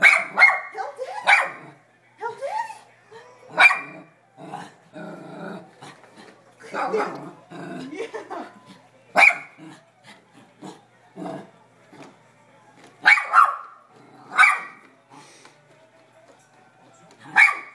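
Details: Sandi, a pet dog, barking at a vacuum cleaner indoors: loud sharp barks in irregular bursts, some in quick pairs, with low growls between, while people talk and urge her on.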